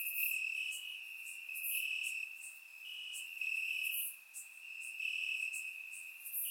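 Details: Summer-night crickets singing in grass in Bulgaria: an unbroken high trill beneath sharper, very high chirp bursts arriving about every second, the chorus swelling and briefly dipping.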